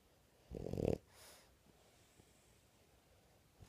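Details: Awake French bulldog Barbie gives a single half-second rough, rattling snort, then a fainter breathy exhale, with near silence afterwards.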